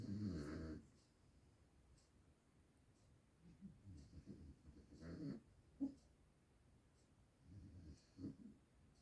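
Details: Pet dog asleep and snoring: a strong gravelly snore at the start, then softer wheezy breaths and a few sharp snuffles spaced every couple of seconds in a quiet room.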